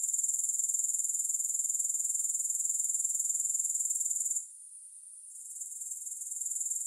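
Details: Grasshoppers, with no music: a shrill, high, rapidly pulsed buzz that holds steady, then suddenly drops to a faint hiss for about a second before gradually building back up.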